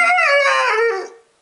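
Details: Year-and-three-month-old Siberian husky reacting to the word husky, which he hates: a loud, harmonic howl of about one second, starting high and sliding gently downward before fading, with a person saying husky just before.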